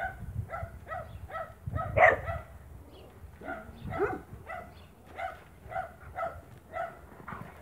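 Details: Yappy, rhythmic barking from a Spanish Mastiff at a farm on 1 October 2017, roughly two to three barks per second with one sharper, louder bark early on, over a low rumble.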